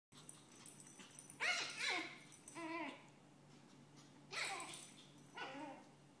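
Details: A Maltese puppy, while playing, gives a few short, nasal, kitten-like whines that slide downward, in two pairs about three seconds apart.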